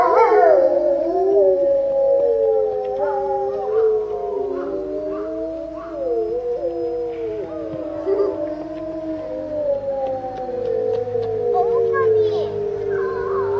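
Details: Several grey wolves at a zoo in March howl lazily together while lying down, long sliding tones overlapping in a wavering chorus.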